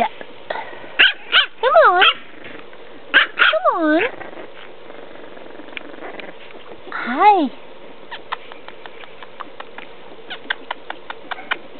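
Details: French Bulldog puppy at five weeks old giving rising-and-falling whines and squeaky yips in short bursts, with a person's coaxing voice and light clicking taps in the background.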